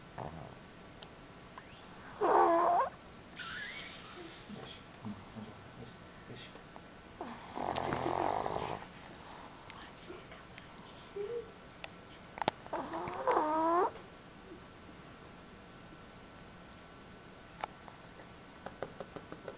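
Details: Sleeping pet dog snoring: loud rough snorts about every five seconds, some with whistling, whiny overtones and one broad breathy rasp, separated by quiet stretches with faint clicks.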